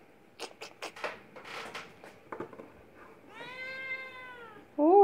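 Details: Young Oriental or Siamese cat kitten indoors: clicks and rustling handling noises first, then a sustained even meow with rich harmonics, cut off by a sharper rising cry at the end.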